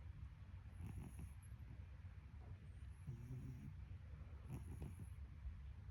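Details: Sleeping domestic cat snoring: low, rough breaths in slow repeated bursts, roughly three in six seconds, each with a soft rasping rattle, over a steady low hum and a faint high whine.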